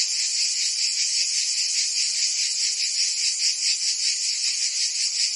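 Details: In Provence in summer, cicadas keep up a loud, high-pitched rasping drone, throbbing in quick even pulses, the chorus constant from start to finish.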